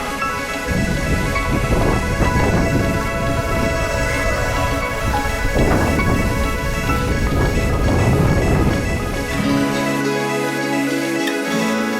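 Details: Steady background music plays throughout, with no animal sound standing out. A low, thumping bass line enters near the end.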